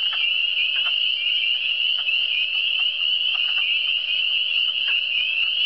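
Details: Frogs calling in the Eastern Townships (cantons de l'Est): a dense, steady high trilling chorus with scattered short croaks and clicks popping out underneath, unbroken throughout.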